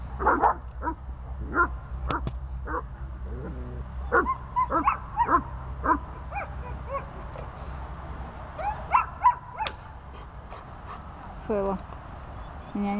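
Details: Three dogs named Glemmy, Fela and Rey, held on a leash, bark in irregular clusters mixed with high whines and yelps. Barks thicken in the middle and ease off toward the end over a low background drone.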